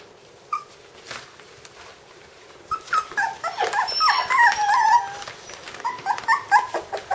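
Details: Five-week-old puppies from Candie and Kevin's litter indoors, starting with a few isolated yips, then a cluster of high, wavering whines and squeals that bend up and down before trailing into short clipped yelps.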